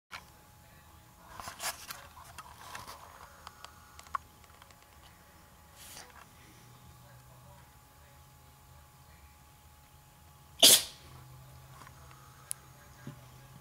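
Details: Pet cat Hobbes, having a bad day, gives a single sharp, breathy sneeze burst late on, after several faint soft rustles and small noises over a quiet background with a steady low hum.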